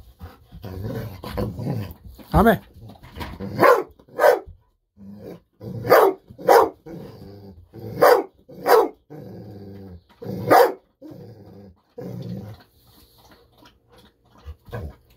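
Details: Golden Retriever named Bis, indoors, barking excitedly, overjoyed at fish-sausage treats about to be given and kept waiting: loud sharp barks in irregular bursts about every half second to two seconds, low growly sounds between, human speech alongside.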